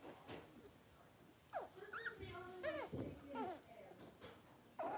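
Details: Blenheim Cavalier King Charles Spaniel puppies, six weeks old, from a litter of five kept in a home puppy pen, give thin, high whines that rise and fall in quick curving notes, with human voices nearby.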